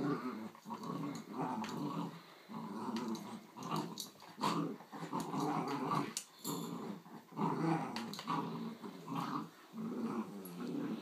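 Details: A giant Schnauzer puppy and an adult miniature Schnauzer growl at each other in play, rough throaty growls rising and falling in short pulses about every second, with occasional thumps and scuffling between bursts.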